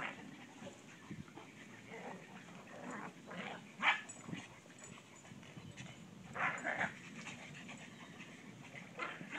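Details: Two dogs, a pug and a bloodhound, on a play date give short, scattered barks and huffs with some panting between.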